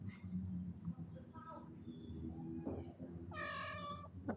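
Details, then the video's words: Upset male visitor cat, come to eat and to court a spayed female: one long, steady, strongly harmonic meow near the end, preceded by softer murmurs, with a person speaking gently over it. "We got a Visit from Cat with Very Weird Sound"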